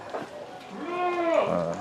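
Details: Etawah goat of the jrabang type, long-eared with a patterned head, shown in a paired duet; one drawn-out wavering bleat with rich harmonics, rising then falling, beneath a man talking.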